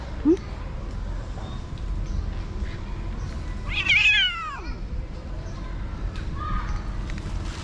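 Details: Street stray cat at feeding time gives one strong wavering meow, high and harmonic, bending downward, followed by a faint softer mew; a short thump at the start and low background hum.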